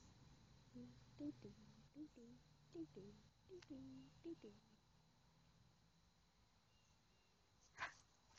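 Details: Harley, a golden retriever/Labrador mix born in July 2009, playing in the backyard with his string-ball; a series of short, high whining yelps with falling pitch, about eight in four seconds, then quiet room noise and a sharp click near the end.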